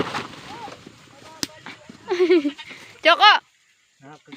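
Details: Baby goat bleating: a few wavering, nasal cries with curved harmonic bands, one loud quavering bleat near the end followed by a softer one, with faint background voices and rustling.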